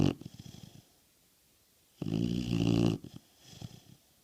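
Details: American Bulldog snoring: two loud rasping snores with low rumbling, one long, plus softer fluttering breaths between, in a small indoor room.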